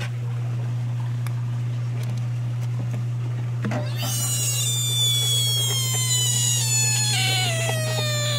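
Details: American bullfrog screaming: after about four seconds of near quiet with faint clicks, a loud, high, cat-like wail rich in overtones starts abruptly and slides slowly downward, lasting over four seconds; a steady low electrical hum runs throughout.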